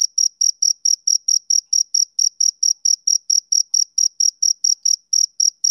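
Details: Summer evening song of a male cricket: sharp, high chirps repeated steadily, around four a second, with one tiny pause near the end; nothing else audible.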